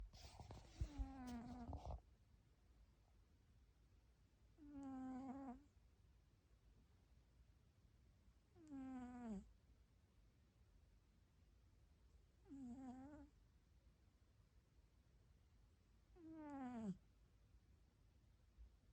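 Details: A snoring cat makes a funny sound. Quiet, nasal, squeaky voiced notes come with each breath, each lasting about a second and bending slightly. They repeat about every four seconds with near silence between them.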